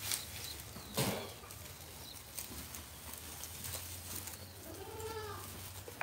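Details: Goat from Modnimb market giving one brief arching bleat late on, a rise then fall with stacked overtones, set against constant busy market din, knocks and a low hum.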